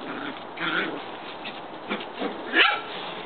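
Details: Shetland Sheepdog puppies outdoors giving short whimpering yelps, a few scattered soft calls and then a louder, higher yip near the end, over a steady background hiss.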